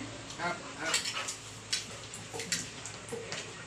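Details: Clinking dishes and cutlery with stirring sounds and faint speech in a kitchen, with no animal voice.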